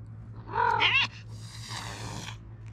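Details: Brown tabby stray cat in Japan hisses at a black cat that sniffed its rear while being petted: a short rising yowl, then a breathy, broad hiss lasting about a second.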